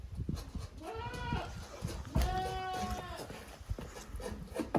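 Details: Goat kids at a handmade goat farm, two teams of young from two mothers, Koharu and Okayu, playing in an exercise yard on 13 June 2023: two drawn, wavering bleats, the second longer and steadier, over thumping and rustling movement.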